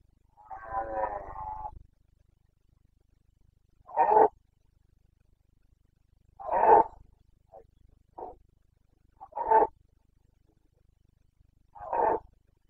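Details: Red deer stag of the Carpathians roaring in the Bucovina mountains, rut of late September 2022 (boncănit): a long, drawn-out hoarse roar, then short, deep, explosive grunts about every two to three seconds.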